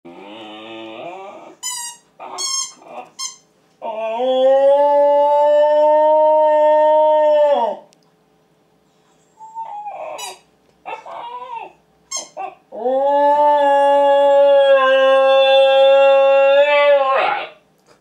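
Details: Siberian Husky howling as morning practice at home: two long, steady harmonic howls of about four seconds each, separated by short yips and whimpers, the tone holding level with rich overtones.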